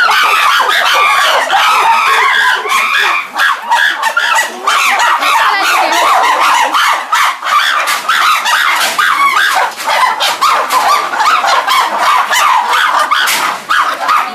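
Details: Medium-sized group of chimpanzees at the CCC, among them Dan, Vévé, Max, Louna, Charlotte, Lobai, Oga, Wodo, Habou and Shelly, going out to their enclosure with excited, joyful cries: a sustained, raucous wall of overlapping screams, barks and hoots, loud throughout.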